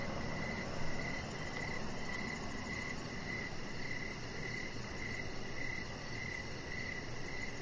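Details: On an evening deck where a chihuahua puppy lies, crickets keep up repeated regular chirps, joined by a faint shrill high-pitched pulsing insect trill and a muffled low-frequency rumble.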